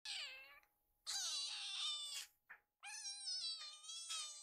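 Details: Two rescued baby kittens indoors, sitting in a row waiting for food after smelling it from the kitchen; several long, high, wavering meows, some rising then falling, with brief pauses between.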